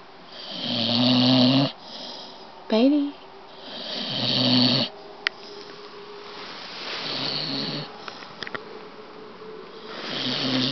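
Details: A Staffordshire Bull Terrier (Staffie) snores loudly while wide awake, with rough, rattling breaths in repeated bursts.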